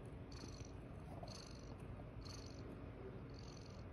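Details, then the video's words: Foster mother cat with her kittens on the eighth morning, purring: a soft, steady low rumble throughout, with faint higher bursts recurring roughly every second over quiet room noise. "Lots of purring"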